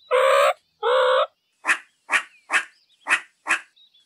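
A meerkat gives two drawn-out, nasal harmonic calls, then a run of short, sharp chirps.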